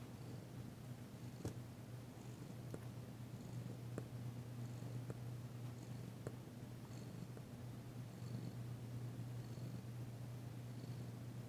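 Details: Female house cat Danci purrs during a massage session in February 2022; a steady, deep, unbroken rumble throughout, with occasional soft clicks and touches of handling noise over it.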